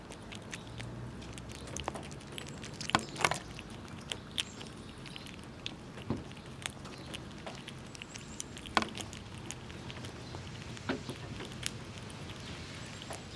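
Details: Squirrels eating nuts in cold winter, pushing each other around, make sharp irregular clicks and crunching taps as shells are gnawed and cracked.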